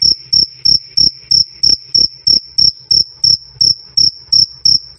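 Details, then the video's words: Loud, clear cricket chirps used as training audio for cage birds: a bright, piercing "krik" repeated at an even pace of roughly three pulses each second, each pulse short with a ringing high overtone. "Suara Jangkrik "Krik Krik" Keras Dan Jernih"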